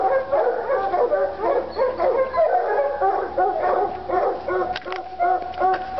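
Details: Excited Treeing Walker Coonhounds Lady and Cooper bawl at a coon skin in North Carolina, two voices tangled in a nonstop stream of quick, howl-tinged barks with a few sharp clicks near the end.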